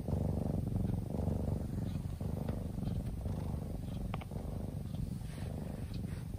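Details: Sound asleep, a kitten rumbles a low purr that rises and falls with each breath, close to one cycle per second, a faint click or two over an otherwise still background.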